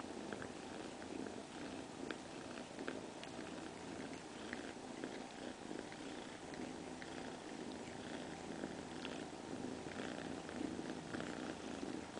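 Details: Purring cat that has a surrogate mother cat: continuous gentle low rumbling with a slightly rough texture, unchanging in level throughout, heard close up in a quiet setting.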